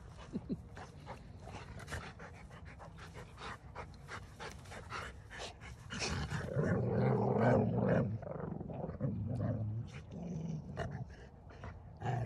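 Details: Rottweilers playing with bowling balls, grumbling as they get close to each other: a low, rumbling, growly grumble that swells midway for about two seconds, then fades and returns briefly, over steady panting and scuffling.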